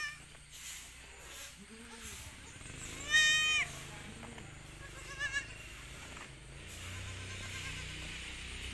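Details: Young goat on a Pacitan village farm where four does bore nine kids in one week; one loud, short, rising-then-falling bleat midway, a fainter one later, with quiet voices and farm noise around.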